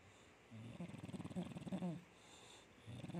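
An English bulldog snores in deep, rattling breaths, with a low, rough rumble on each pass.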